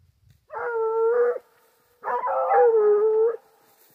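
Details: Foxhound on a wild boar hunt giving two long, steady howls around a second each, level in pitch with rich harmonics, separated by a short pause; no other sounds.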